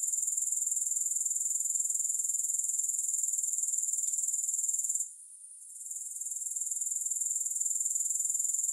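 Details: Grasshoppers in a steady high-pitched insect chorus, a rapid pulsing buzz near four pulses per second, briefly dropping out for about a second midway before resuming; no music.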